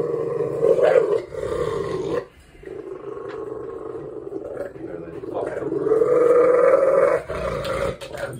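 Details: A male pet Rottweiler growls loudly during a play-dominance struggle with his owner: long, steady, throaty roaring growls with strong harmonics, one rising and swelling near the end, separated by short breaths.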